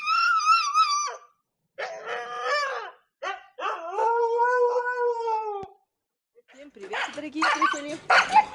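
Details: Village Siberian husky, a female in heat, howling at night: a wavering howl, then several shorter moaning howls, ending with a rough, noisy yowl mixed with other sounds.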